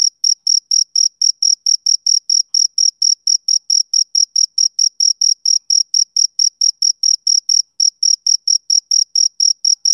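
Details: Shrill, rhythmic chirping of a male cricket: clean high pulses repeating quickly and steadily, with one brief gap near the end, over a silent background.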